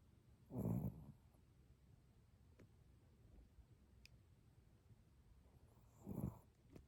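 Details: Sleeping Chihuahua with two low, rumbling snores roughly five and a half seconds apart, soft breathing and faint room noise between them.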